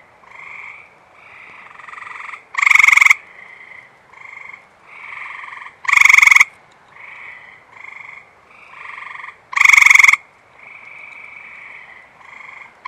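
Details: Eastern Gray Treefrogs in a busy chorus at a water reservoir on a humid night after rain; a nearby male repeats a loud, fast pulsed trill roughly every three and a half seconds among many quieter overlapping trills.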